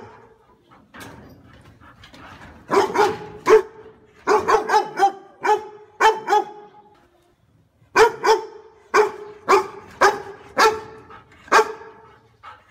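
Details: A dog barking in short sharp bursts: a group of barks around three seconds, another run from four to six and a half seconds, then a steady series of single barks roughly every half second from eight seconds on, after a brief quiet gap.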